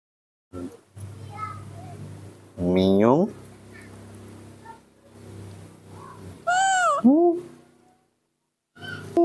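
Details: Hand-raised baby monkey fussing at milk time in the morning: a rising shrill screech, later an arched wavering squeal, with a person talking in Indonesian and background music.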